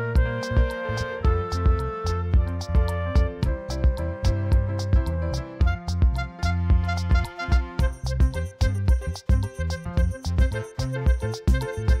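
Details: Loud, lively instrumental music with fiddle and wind tones and a bouncing bass fills the recording, with no animal voice.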